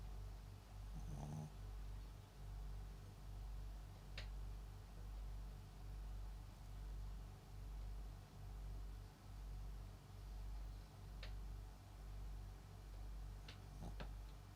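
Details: Papillon × Japanese Chin mix dog snoring while asleep indoors: soft, low rumbling breaths repeating about once a second in a steady rhythm, with a few faint clicks and rustles.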